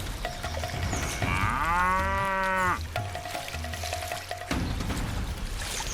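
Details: A lone African buffalo, strayed too far from its herd in the Zimbabwe wild, is hunted by lions; one drawn-out, rich harmonic bellow lasting about a second and a half, rising then held, over background music tones.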